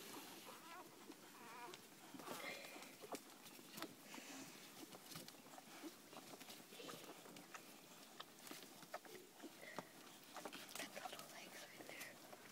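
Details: One-day-old Labrador Retriever puppies, eleven in a kennel with their mother, nursing and sleeping; thin high squeaky whimpers come again and again over a steady bed of soft clicking and suckling noises.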